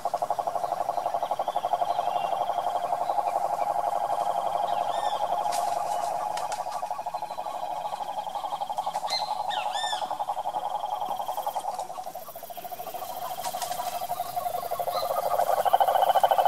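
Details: Long droning pulsed trill of a wild cane toad in Brazil's Pantanal, fading and swelling, with scattered bird chirps and whistles above and a second trill entering near the end.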